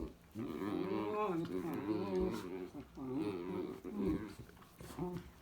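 Dachshunds make throaty, wavering growls and grumbling vocal noises during play.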